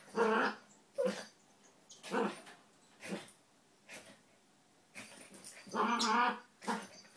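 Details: Donut, a red toy poodle, and Dino, a Maltese, play-wrestling together without biting; loud growly grunts come in separate bursts about once a second, with a longer rasping growl near the end.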